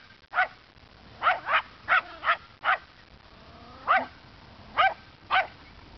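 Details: Dog barking at a neighborhood scarecrow around 3:30 p.m., short sharp yappy barks in pairs and singles, with brief gaps between bursts.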